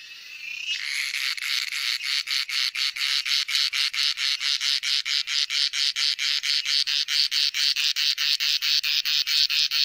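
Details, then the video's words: Cicada calling, a sound men use to attract females; a loud, high, buzzy rasp pulsing in regular bursts a little more than twice per second, steady throughout with no other clear sounds. "Cicada Sound"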